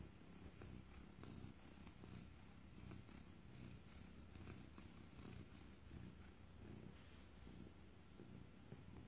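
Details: Female black cat and Siamese mix, up for adoption from a rescue, purring: a soft, steady low rumble that throbs continuously throughout, with faint room noise and a brief human voice beforehand.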